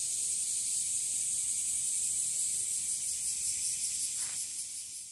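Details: Bear cicadas (washiwashi), found singing in trees and grass, give a smooth high hissing drone with faint pulsing, a brief soft knock near the end as the sound fades slightly.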